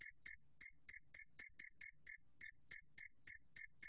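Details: Two-spotted cricket recorded by Korea's National Institute of Biological Resources in 2020, giving short clean high chirps repeated about four times per second, each a brief pure pulse with a faint lower band, against a silent background.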